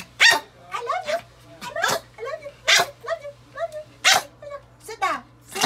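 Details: Pomeranian puppies give sharp, high-pitched yapping barks in quick bursts on the owner's "speak" cue, barking eagerly for treats.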